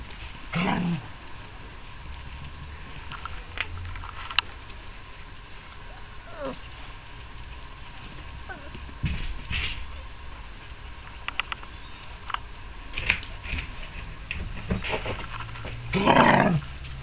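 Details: A Lagotto Romagnolo gives loud, harsh barks at a Christmas party, amid background chatter and clatter.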